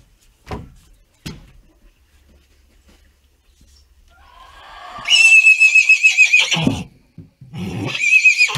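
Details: Six-week-old foal being fitted with a halter for the first time, with two knocks, then a long shaky whinny of quick pulsing quavers near two seconds, and after a short pause a second similar whinny begins.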